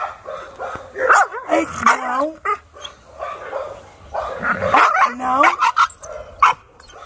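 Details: Maike, a Chow Chow brought in for dog training, throws a noisy fit on arrival: high whining yelps and rising whimpers come in bursts, overlapped by a trainer speaking Portuguese and saying no.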